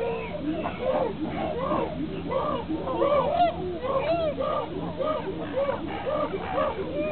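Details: The whole chimpanzee group reacts to a squabble between Higgy and Juniper, giving a continuous jumble of overlapping arched, wavering hoots and squeals, with a few higher shrieks in the middle.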